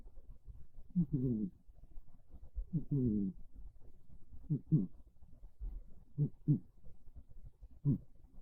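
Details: Monta, a pet cat, snoring softly while asleep on a bed in the early afternoon of a cold, rainy day; low, throaty breath rasps come in pairs about every one and a half seconds in a quiet room.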